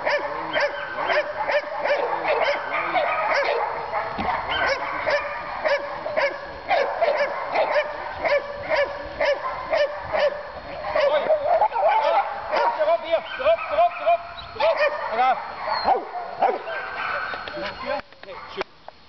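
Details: German Shepherd (Alsatian) dogs at a breeding and training kennel in Boxmeer, the Netherlands: many dogs barking and yelping at once in a dense, continuous chorus of short rapid barks, some whining tones.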